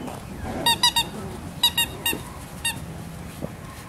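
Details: Salt, a male Miniature Schnauzer puppy born 18 May, lets out about eight brief, piercing squeaks in quick bursts of two and three, each sharp and ringing with overtones, against a faint low background hum.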